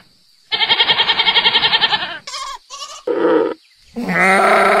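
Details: Goat bleating on a farm: one long, rapidly quavering bleat, then two short high cries, a lower clipped bleat, and finally a drawn-out smoother call.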